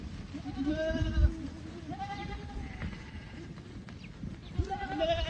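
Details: Boer goats on a South African goat farm: a few wavering bleats, one drawn out near the start and others toward the end, over heavy low rumbling noise and faint voices.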